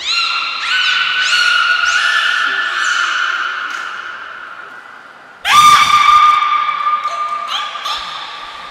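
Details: Niko, a captive beluga at the Port of Nagoya Public Aquarium, during a training session on 25 February 2024: long harmonic tones held steady, a run of overlapping calls, then a louder sustained call starting mid-clip with small pitch steps.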